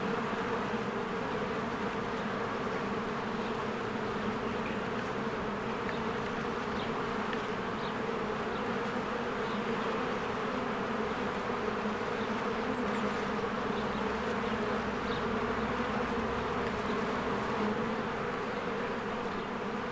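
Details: Honeybees in spring, swarms flying in and out of their hive as flowers bloom: a dense, steady droning hum with strong low bands throughout, unbroken for the whole stretch, with faint brief higher ticks scattered above.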